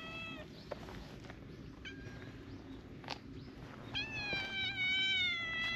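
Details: Several affectionate adult cats gather around a small tortoiseshell kitten being filmed and meow for attention: brief faint mews early on, then a loud, clear, harmonic meow rising then falling near the end, over low background rumble.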